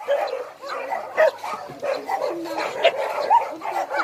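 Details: Many abandoned dogs at Hanna's Shelter, a rescue shelter for abandoned dogs in Daegu, South Korea, barking together in a dense, overlapping chorus of sharp mid-pitched barks and yips with almost no pauses.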